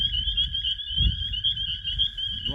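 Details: Dense chorus of male spring peepers (Pseudacris crucifer) at night in a marshy area in May, high piping peeps blending into a steady shrill ring; males defend territory and attract females to mate, having come from the forest to breed.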